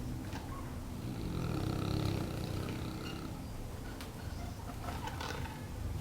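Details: Brego, a Neapolitan Mastiff almost a year old, sleeping with a low, rumbling snore that swells and fades over several seconds, its throaty rattle mixed with soft clicks and rustling.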